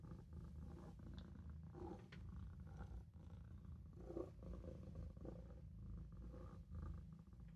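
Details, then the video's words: Napping in the sink, Maine Coon kitten Olof gives a continuous low vibrating purr, rhythmic and even, with light faint movement noises. "Olof is taking a nap in the sink | Maine coon | Maine Coon kitten"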